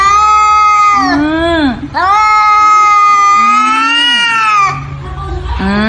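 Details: Domestic cat in a funny cat compilation giving long, drawn-out harmonic yowls, each held about a second or more, sliding slightly in pitch with brief dips between calls; a low steady hum sits underneath.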